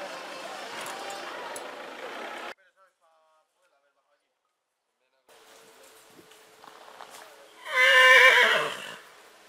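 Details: Purebred horse in spring, heard after a stretch of broadband noise and a silent gap, giving one loud, shaking whinny near the end that lasts just over a second before fading.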